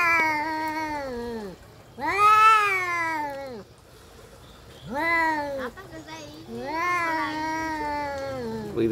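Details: Fighting domestic cats trading long, loud, wavering yowls, each drawn-out wail sliding downward at its end, four main bouts separated by short pauses, with a faint human voice nearby.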